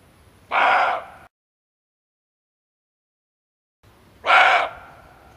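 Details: Male barking deer, a call used to lure game when hunting: two gruff, explosive barks separated by a few seconds of silence, each under a second long.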